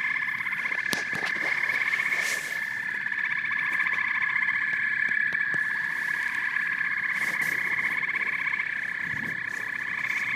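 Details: Chorus of frogs and toads: dense, overlapping pulsed trills and croaks forming a steady buzzing drone, with a few sharp clicks scattered through.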